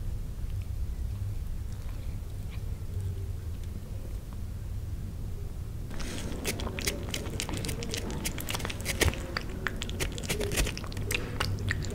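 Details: Quiet indoor room hum, then clicking and rustling handling noises with faint speech-like sounds; no clear animal calls.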